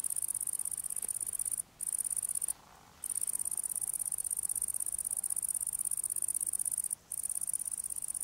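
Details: Italian tree cricket (Weinhähnchen) filmed close up while feeding in the evening; a continuous, high, pulsed trill with a steady rapid pulse, broken by brief silent gaps.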